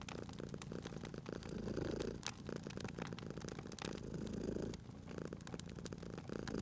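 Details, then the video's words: Cat resting by a crackling fireplace, purring steadily; the low rumble rises and falls in broad waves roughly every two to three seconds while fire crackles and pops sound continuously over it. "Cute Purring Cat at a Crackling Fireplace"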